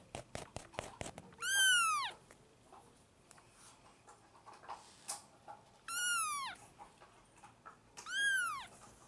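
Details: Four-week-old kittens, one of five being bottle- and spoon-fed at lunchtime indoors, fighting for milk. Three loud, clear mews, each starting high and falling, about two seconds apart, after a burst of rapid clicks.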